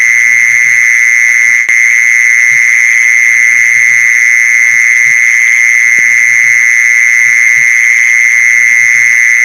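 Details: Mole cricket trill played to lure mole crickets: a loud, constant, high-pitched buzz that never breaks or changes, topped by a thin upper whine, with scattered faint low thumps in the background.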